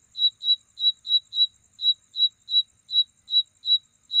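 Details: Night insect making its mating call: quick, bright, high-pitched chirps spaced a quarter to half a second apart, with one short pause midway. A thin steady high hum sits in the background.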